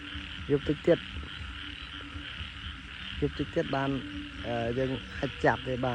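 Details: Several frogs croak from a flooded paddy at nightfall following heavy rain. Short throaty croaks overlap and answer one another, ending in longer wavering calls, with a constant buzzing insect chorus behind.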